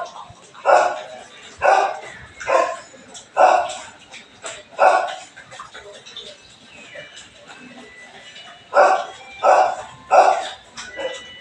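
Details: Belgian Malinois barking in the morning, a run of five loud barks about a second apart, a pause filled with softer sounds, then three more barks close together.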